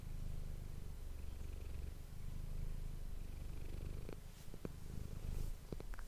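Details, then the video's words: Low, steady purring from Manis, a domestic cat, captured on an ASMR microphone. The rumble pulses gently with each breath, and a few small clicks and rustles near the end break into it. "ASMR cat purring ❤ Manis die aan het spinnen is"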